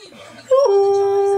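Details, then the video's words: Siberian husky pet dog talking to meerkats in the morning, very talkative: a short rising yelp that slides straight into a steady, drawn-out, howl-like tone held to the end, in a quiet indoor room. "My Husky TALKS To Meerkats! He Loves to TALK!"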